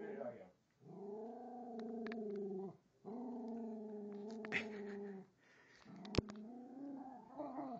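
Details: Remix, a rescued female Jack Russell mix of about 4.5 years, keeps growling at an unmoving toy train under the Christmas tree; several long droning growls separated by brief breaths, with sharp clicks and knocks in between.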